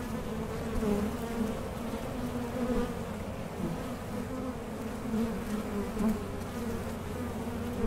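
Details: Hive of honey bees fitted with a Mason jar honey super, a soft constant hum of many wings with a low rumble beneath, gently rising and falling.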